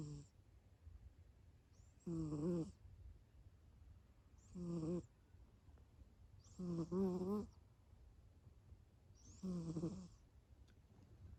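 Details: Deeply asleep Abyssinian cat snoring steadily: five drawn-out, buzzy, nasal snores, one roughly every two and a half seconds, the fourth doubled, with a soft background hum between breaths.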